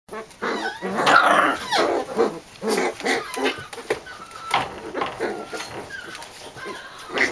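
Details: Corgi puppies from Emma's litter play-fighting among siblings: scratchy, rough growls and short gruff bursts come in uneven clusters, with thin squeaky whines toward the end.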